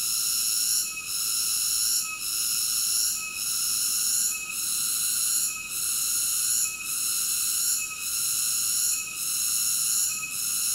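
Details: Shrill, continuous cicada buzzing, a bright layered whine broken by short regular dips about every second, steady in loudness, with nothing else audible.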